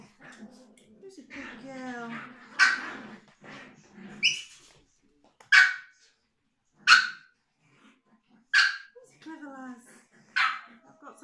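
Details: Female Biewer Terrier puppy being brushed and groomed, giving sharp high barks roughly every one and a half to two seconds, interleaved with a person's soothing speech.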